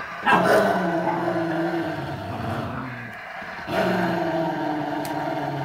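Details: Two Rottweilers aged 11 years and 3 months, playing gently together, give long, rumbling growls with a grumbling, moaning tone.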